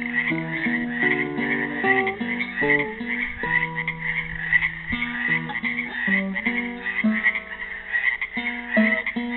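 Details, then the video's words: An improvised classical guitar melody plays over a chorus of frogs trapped in a Helix, Oregon pool on Earth Day 2016; the frogs' rasping pulsed croaks run continuously throughout. "FROGS SINGING"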